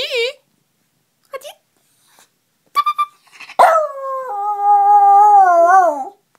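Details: A pet dog sings an 'opera' howl in response to a person's beeping noises. Short tonal beeps come first, then a long sustained wavering howl of about two and a half seconds that dips in pitch at the end.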